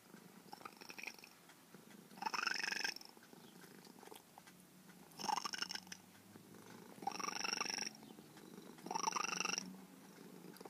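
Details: A formerly very wild female feral cat, trapped and spayed years ago and now close to her caregiver, makes bird-like chirping trills, rising bursts repeated about every two seconds over a soft steady purr.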